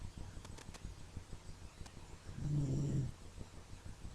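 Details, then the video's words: Sleeping dog snores softly indoors: a low rumbling breath swells for about half a second midway, over steady quiet wheezy breathing and faint room noise. "Cute Dog Snoring !"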